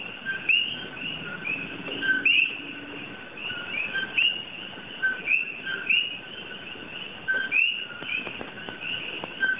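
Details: {'caption': "Coqui frogs, native to Puerto Rico and invasive in Hawaii, singing at night: sharp two-part whistled 'ko-kee' notes, each rising steeply, repeated about once a second by several overlapping frogs over a soft steady background hum."}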